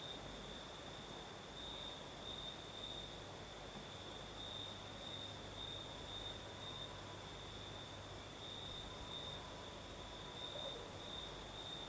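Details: Night chorus of crickets in the south of Crimea with a gentle night breeze: one continuous high-pitched ringing trill, slightly wavering in strength, over a constant airy rustle of wind.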